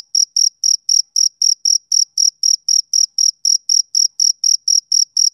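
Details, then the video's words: Male cricket on a summer evening, each shrill chirp distinct and evenly spaced, about four chirps a second, with nothing else audible. "Cricket Chirping Sound Effect"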